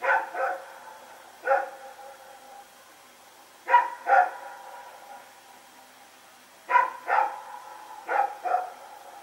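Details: Nighttime barking by Rex and his companion as they run around, recorded Sep 21, 2018 in Pyrga; pairs and triplets of sharp barks separated by short pauses, loud and harmonic, over low background hiss.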